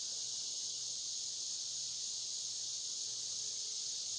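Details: Steady high-pitched insect drone of cicadas on the Licking River in Morning View, from a recording made between dusk and dawn. A thin sustained tone rides over the hiss, with a faint low hum underneath.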